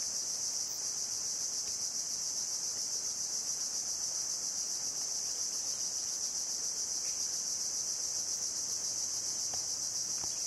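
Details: Continuous piercing buzz of a cicada in coastal mangroves at Bako National Park, Sarawak, Malaysian Borneo, recorded 17 February 2017, steady and unvarying in loudness throughout, with only a few faint clicks in the background.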